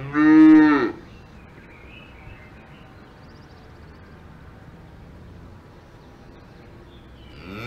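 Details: Cow on a farm in the Alps giving one short, loud harmonic moo lasting under a second, followed by quiet background, with the start of another moo at the very end.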